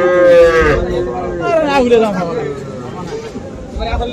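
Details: Young bulls and heifer calves at the Aftabganj cattle market on 3 February. One drawn-out, harmonic moo falls steadily in pitch over about two seconds. Men talk nearby, and market chatter continues underneath.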